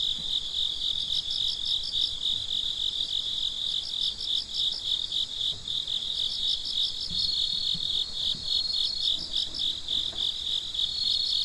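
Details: Several crickets calling at night: an unbroken high trill with repeated bursts of fast pulsed chirps layered over it, the bursts returning every second or two; no other sounds stand out.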